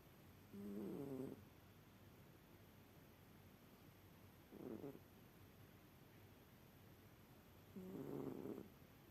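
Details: Cat snoring while asleep, three husky, buzzing breath sounds at intervals of roughly three to four seconds, the first and last longer and rougher, the middle one short, over a quiet indoor hiss.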